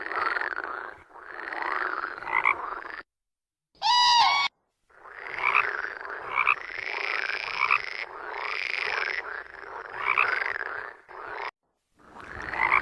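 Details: Croaking toads give a rasping pulsed call with swooping inflections, repeated about every one to one and a half seconds, broken by short silences and one brief bright chirping burst.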